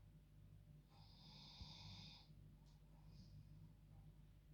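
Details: A female dog snoring like a human while enjoying her bed at bedtime: one long, raspy, hissing snore drawn out over about a second, then a shorter soft snort, all quiet against a low indoor hum.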